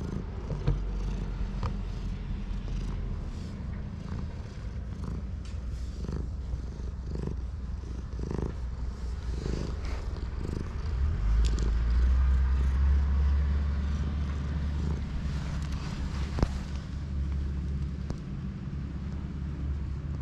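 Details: Stray cat purring, filmed on a GoPro: a steady low rumbling purr runs through the whole stretch in quick regular pulses, getting slightly louder midway, with faint background noise from outdoors.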